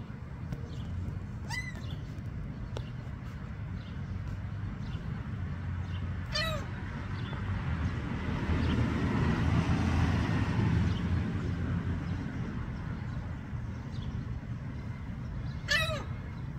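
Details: A thirteen-lined ground squirrel (Ictidomys tridecemlineatus) calls, giving three sharp, high, downward-sliding chirps spaced several seconds apart.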